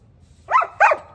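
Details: German Shepherd dog kept indoors, giving two sharp, loud barks in quick succession, the second about a third of a second after the first, with a quiet low hum underneath.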